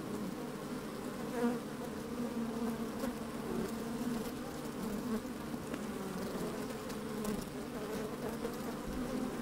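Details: Honey bees at an open hive on a fine sunny day with some wind, microphone inside the hive: layered droning hum, intermittent individual buzzes rising over a continuous colony murmur and small clicks.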